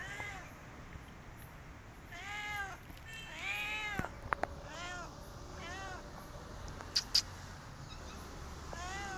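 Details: Stray cat asking for food, uttering a string of drawn-out, bending meows, some strained and rising, spaced a second or so apart, with a couple of sharp clicks in between.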